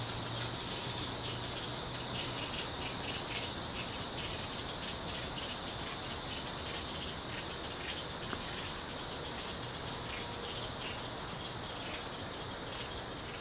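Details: Cicadas calling in a local park with bamboo near Cheng Ching Lake, Kaohsiung: a dense, steady, high-pitched buzzing chorus with a fast pulsing texture, over constant broadband rushing background noise.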